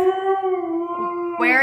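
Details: Siberian Husky named Blu, a pet indoors, talking back and yelling while told off over a Furminator left on the floor; a sustained tonal howl holding steady, then rising into a brighter, strained yelp near the end.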